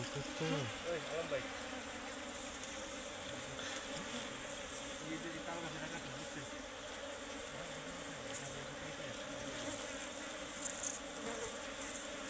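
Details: Honey bees called Serena bees swarm around their nest inside a tree being cut open; their unbroken buzzing drone fills the clip, with men's voices breaking in early and a few sharp knocks.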